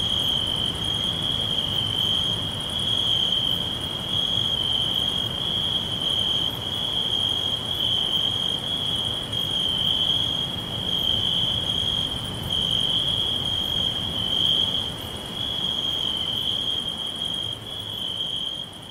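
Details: Crickets chirping all around in a green forest, a steady high continuous trill with faint pulsed overtones above it, over a constant broadband hiss of background noise.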